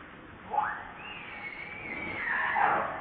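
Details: Baby monkey named Lucie crying as she begs her mother for milk: one drawn-out tonal wail that rises steeply, holds high and arched for about a second, then slides back down, over faint background hiss.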